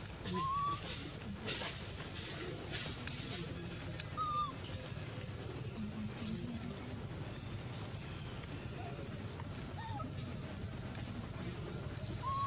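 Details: Hungry baby monkey Anissa calls out to her mom: several short, faint, slightly arching whistled cries scattered every few seconds, with rustling and clicking noises around them.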